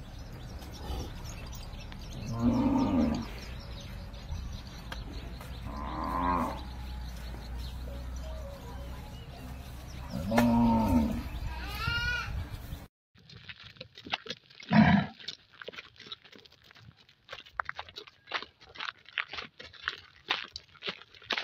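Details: A bull waiting for a cow lowing: deep drawn-out moos near 2.5, 6 and 10.5 seconds over steady low rumble, then a sharp cut to clattering, knocking sounds with one brief loud call.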